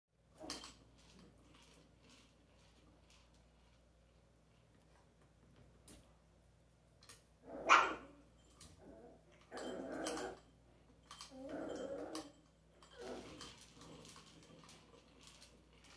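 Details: Pet dog with an interactive toy, giving a few short, rough barks spaced through the second half, preceded by a faint early yelp; quiet indoor background with low hum.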